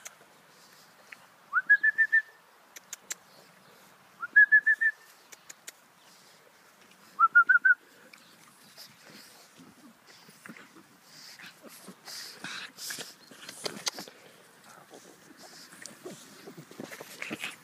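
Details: Female pug puppies born 1 October 2013 whine in three short bursts of rapid, high, rising whistled squeaks a few seconds apart, then rustling, scratching and shuffling noises fill the rest.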